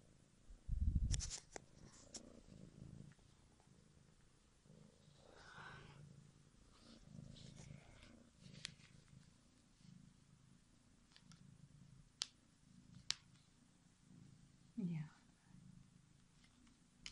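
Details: Bodza, a star-eyed kitten, purring: a soft, low rumbling drone that swells and fades in waves with each breath, broken by a few sharp clicks and a brief louder rustle near the start.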